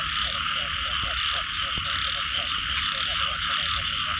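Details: Frogs after rainfall give short, rapid, throaty croaks in a quick repeated rhythm, several animals overlapping, under a constant shrill insect hum with fast pulsing ticks and a few faint knocks.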